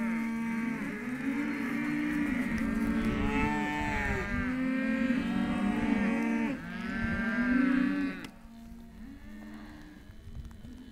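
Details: Hereford calves, male and female, offered as a lot at a livestock sale; several loud, drawn-out moos overlap through the first eight seconds, with harmonic rising and falling bellows, then quieter background noise.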